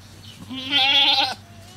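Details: Goat giving birth on a cow farm, one loud, vibrating bleat of under a second, harmonically rich, with a low background hum before and after.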